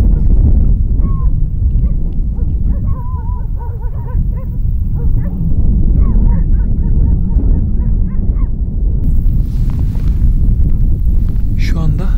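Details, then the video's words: At sunset near Sarıkamış, Kars, Turkey, distant dogs bark in short, ringing bursts at brown bears coming out of the forest, signalling their approach, over heavy wind rumble. "Bakın köpekler de havlıyor."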